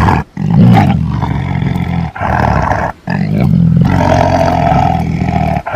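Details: Throaty tiger roar: low, strained growling that rises into a louder, brighter roar in the final two seconds.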